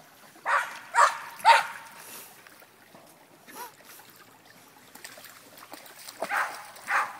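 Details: German Shepherd puppy Uma, a female, in a creek for the first time with an 18-month-old male German Shepherd and a three-year-old male Lancashire Heeler nearby; three quick barks open, then quiet trickling water, then two more barks.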